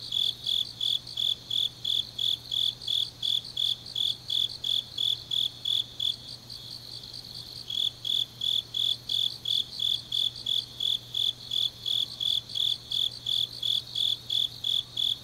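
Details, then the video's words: Grass insects in Changnyeong, South Gyeongsang, South Korea, on a deep autumn night: rhythmic high chirps about three per second, a brief pause near the middle, then the pulses resume over a shimmering chorus. "깊은밤 가을 풀벌레 소리"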